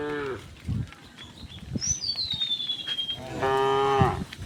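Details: Tame cows herded home to the pen along a quiet village road in the afternoon give deep, drawn-out moos; a thin high whistle slides down in pitch between them over a soft background hiss.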